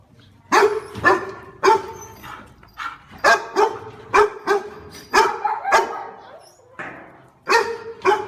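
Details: Domestic dog barking in short, sharp bursts, mostly single or paired barks spaced irregularly across the stretch, each bark bright and harmonic with a clear tonal core.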